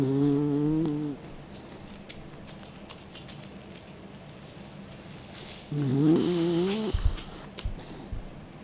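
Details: Mick, an elderly 16-year-old dog, sleeps with tongue out and snores twice, each a roughly one-second buzzy, rising drone about five seconds apart. The second ends in airy hissing and small clicks.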